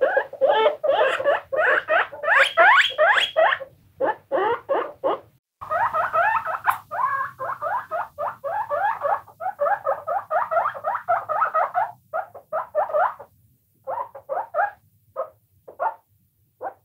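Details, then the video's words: Several guinea pigs squeaking and squealing in rapid, dense bursts, short repeated calls running about two per second, with brief pauses in between and trailing off into scattered squeaks toward the end. "squeaking guinea pigs"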